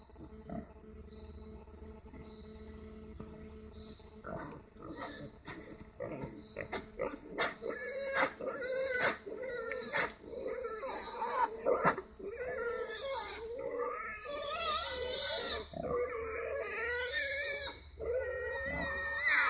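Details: Wild boar (Sus scrofa) in an enclosure squealing loudly, harsh high squeals and grunts bursting out again and again.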